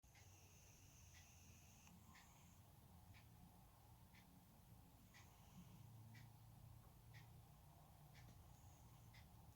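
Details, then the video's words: Sleeping pet cat snoring indoors in a small room, a low, quiet rumble of breathing with swelling and fading phases, accompanied by faint, sharp clicks and ticks at roughly one-second intervals. "наш котик храпить / our cat snores"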